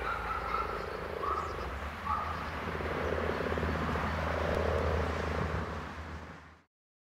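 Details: Common frogs croaking together in a dense, purring chorus of soft, rapidly pulsed low croaks that swell and fade and then end abruptly.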